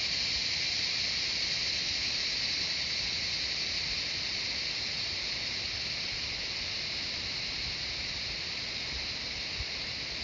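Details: Chorus of cicadas in jungle at Shivapuri Nagarjun National Park outside Kathmandu, Nepal, forming an unbroken, piercing high-pitched hiss that holds at an even loudness throughout.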